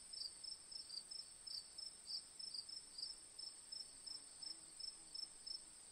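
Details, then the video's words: Rapid high chirping from crickets, about three pulses a second with uneven spacing, over a continuous high-pitched insect chorus. "1 Hour Cricket Sound"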